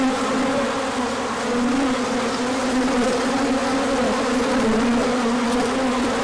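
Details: Bees pouring out for a large orientation flight when sunshine followed cold days, 24 March 2024; loud, constant hum of many flying insects with a wavering lower tone.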